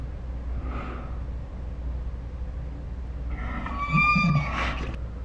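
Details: Ours, a pet Saint Bernard, 'talking' in dinosaur-like sounds: a faint soft whine early on, then a louder harmonic, wavering whine-groan lasting about a second and a half near the end, over steady low indoor hum.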